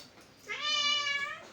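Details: Pet cat letting out a single long, even meow, rich in overtones, rising slightly at the start and fading at the end, in a quiet indoor room.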